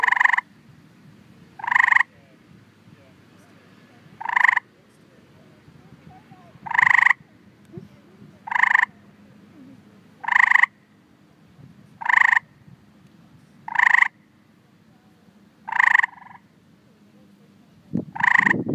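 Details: Tree frogs calling to attract potential mates: short, bright chirping croaks with a doubled ringing tone, about ten calls spaced roughly two seconds apart over a faint low hum, ending with a brief knock.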